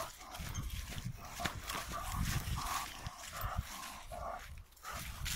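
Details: An American Bulldog x Lurcher puppy, eight months old, lets out a run of brief mid-pitched yelps and whines amid loud scuffling and rumbling outdoor noise.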